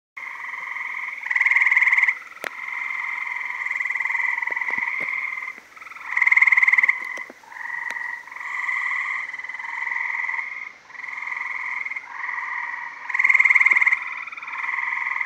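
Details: Gray tree frogs calling loudly in summer 2017 from a backyard pool in Maryland during mating: overlapping long trilled notes with bands near two and one kilothousand pitch layers, several males alternating and swelling in loudness.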